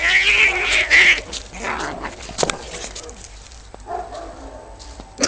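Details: Domestic cat in a fight, giving a harsh, strained yowl over the first second, then broken scratchy noises, short thumps and a sharp burst at the very end.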